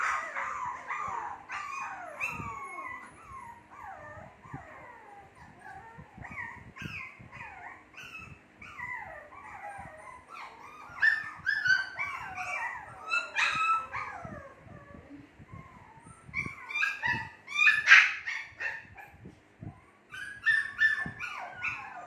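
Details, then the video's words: A litter of two-month-old Shih Tzu puppies cries almost nonstop, with shrill whines, squeals and short yelps overlapping in a busy chorus that swells louder near the end. "SHITZHU PUPPIES MAKING NOISE"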